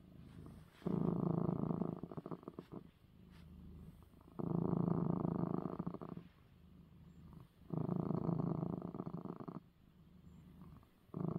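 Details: Male house cat named Coco purrs after being given his eye medicine: deep, buzzy rumbling in three loud two-second bursts, each followed by a quieter softer phase, like breathing in and out, indoors.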